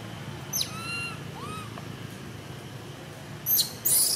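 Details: Baby wild monkey screaming, apparently wanting to go with an old wild monkey: a high, thin, wavering tonal cry with stacked overtones around half a second to one second, a short rising squeal, then harsh shrill bursts near the end over steady low background rumble.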